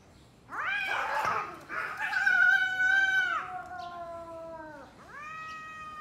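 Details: Two domestic cats talking to each other before a fight: loud, drawn-out harmonic yowls, one rising and then holding steady for about two seconds before sliding down, followed by a second rising wail after a brief dip.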